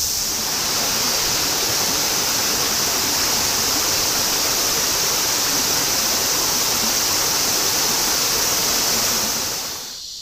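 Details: Cicadas in a continuous summer chorus in Shinjuku, Tokyo, in 2016: a dense, unbroken high-pitched hissing buzz that holds steady and even throughout, easing slightly only in the last moment.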